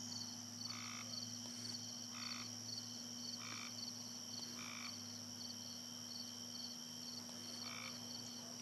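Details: A single frog living in a neighbour's yard in rural Appalachia, calling at night: short, evenly spaced croaks, each a brief buzzy note, about one every second or so, over a steady constant background hum of night insects.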